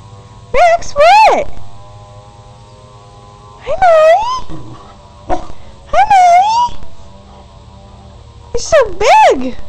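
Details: Growing puppies Max and Molly playing indoors: four loud high, wavering whines or yowls that rise and fall in pitch, each about a second long and spaced a few seconds apart, with quiet room noise between them.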